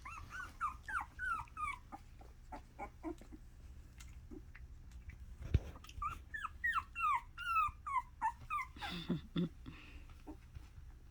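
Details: Miniature Australian Shepherd puppies making noise indoors: bursts of high, wavering whines and falling squeals in quick irregular series, a sharp thump midway, then another long run of squeaky cries ending in lower grunts.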